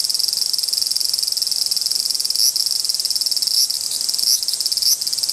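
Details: Dispute between two large brown cicadas: an intense, pulsing high-pitched sizzle. Brief rising chirps cut through it about once a second in the second half.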